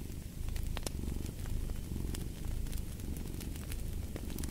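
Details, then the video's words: Low, buzzing purr of a cat with gentle breathing swells, mixed with crisp pops and crackles from a fireplace. "Fall asleep to the Purring of a Cat"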